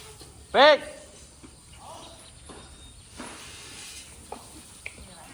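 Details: Nano, an elephant calf hungry for milk, lets out a single short, high squeal, bright and rich in overtones, lasting well under a second, then only quiet rustling and faint background voices follow.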